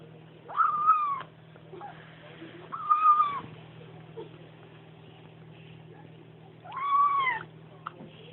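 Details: Bengal kitten 'om nom nom' noises while eating and drinking milk with its mother: three separate drawn-out, slightly falling mewing cries spaced about two to four seconds apart over a constant low hum indoors.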